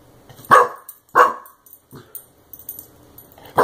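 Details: Clumber Spaniel puppy named Brodin barking at a compressed air can he tried to chew after being sprayed; two sharp barks about half a second apart, then a softer yelp and a final bark.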